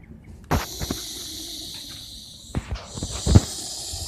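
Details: Russell's viper giving a loud hiss: a steady, breathy broadband rush that starts abruptly after a quiet half-second, holds for about two seconds, breaks off, then resumes more softly, with a few low thumps.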